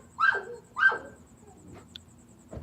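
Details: Pet dog at night reacting to a visiting relative he does not recognise; two loud, falling barks half a second apart, then quieter sounds and a faint high tone.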